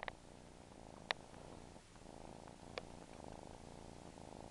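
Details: Domestic cat purring steadily, a low pulsing rumble broken by a few sharp clicks and taps.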